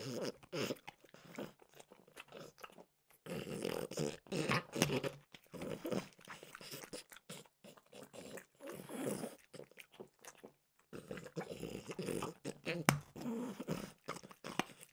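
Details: Mimosa, a French bulldog, eating peanut butter flavored dog treats indoors; steady bouts of crunching and smacking chews with brief pauses between, close and intimate.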